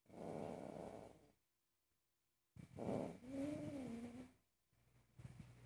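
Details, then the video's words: Furious pet cat opposing cooking: a rumbling growl, a pause, then a rising and falling wavering yowl that trails off, over a low background hum. "Angry cat forbids me to cook"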